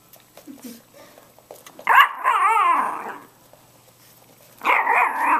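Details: Female Chorkie (Chihuahua Yorkie) tiny toy dog whining with excitement to go for a ride in the car, indoors: a long quavering whine lasting over a second after soft rustles, a quiet pause, then another loud whine starting near the end.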